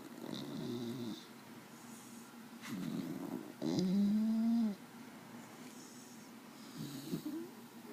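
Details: Sleeping dog named Desi snoring: four low, grumbling snore bursts, the third longest and loudest with a drawn-out, slightly tonal whine near its end, separated by quiet pauses.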